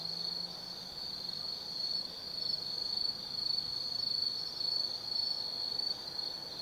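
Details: Insects of the autumn forest calling at night at Tsukimi no Mori, Kaizu, Gifu, Japan, above the Nobi Plain: continuous high-pitched ringing trill, loudness rising and falling in irregular pulses, with a faint low drone early on.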